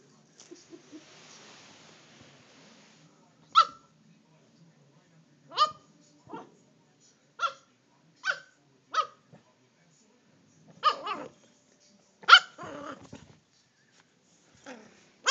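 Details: Playful Toy Fox Terrier in a chair lets out a run of short, bright yips spaced about one to two seconds apart, some doubled, with light scuffling between them.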